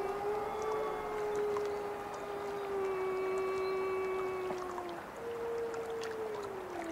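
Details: Wolf howling: a long, steady, mellow tone held for about five seconds with faint overtones, then a second higher howl starts and slowly falls, over a constant hissing background.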